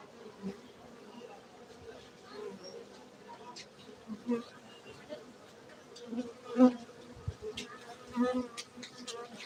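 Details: Cultivated honey bees at an apiary in Gayo, Aceh, Indonesia, giving a continuous low hum with a fainter upper overtone, swelling now and then as single bees fly near, especially around six to eight seconds.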